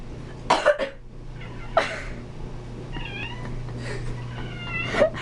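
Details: Darkmoon, a pet cat that objects when people cough or sneeze, vocalizing indoors: a cough-like burst, then short harmonic meows near three seconds and a drawn-out call near five seconds, over a steady low hum.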